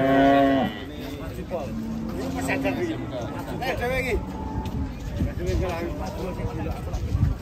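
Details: Jumbo cow at a livestock market, said to weigh nearly one ton: a loud, deep harmonic moo opens, followed by fainter lowing from other cattle amid market chatter and background music.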